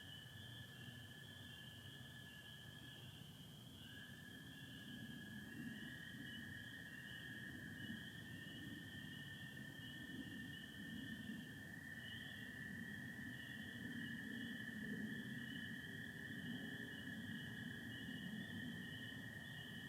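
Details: Spring peepers heard through a Michigan night in April 2025, sky starry with some cloud, their high chorus continuous as American toads trill long and level below, trills overlapping and shifting pitch slightly midway.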